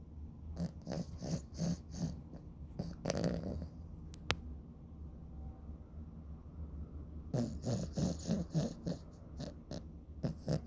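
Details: Sleeping dog snoring loudly: low, rasping snorts repeated about twice a second, a quieter stretch in the middle with a single sharp click, then the rhythmic snoring resumes.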